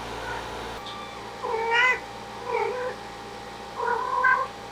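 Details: In summer heat, a stray cat family with kittens gets an air conditioner; three soft, short meows come about a second apart, muffled and low, over a steady hum.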